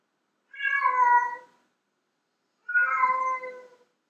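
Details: Two long, loud meows from a female domestic cat, a sound used to attract male cats; each lasts about a second with rich harmonics, separated by a short silent gap.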